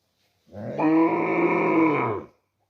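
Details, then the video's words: A cow gives a single deep, drawn-out moo of nearly two seconds, steady and rich in overtones, holding its pitch before fading slightly at the end, with silence around it. "Cow Sound Effects Mooing Video"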